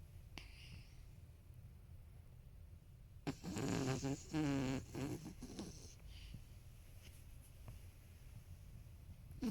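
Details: A sleeping 13-year-old male toy poodle named Marron snores indoors with a monstrous rumble. One long, gravelly snore stretch of about two seconds breaks the low room hum midway, with wavering buzzy harmonics.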